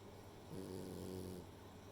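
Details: Rei, a female French Bulldog, snoring while asleep: a single low, droning snore of about one second with a buzzy, layered tone, rising out of a quiet room hum and fading back.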